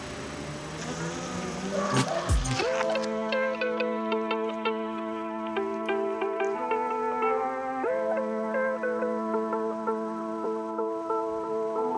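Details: A sharp clatter early on gives way to gentle plucked-string music with sustained notes and soft repeated picking; no animal voice.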